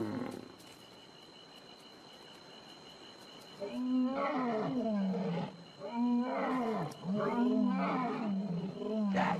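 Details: A male lion at night roars in deep, throaty bursts, telling other lions this is his territory, roaring extra because he is with a mating female.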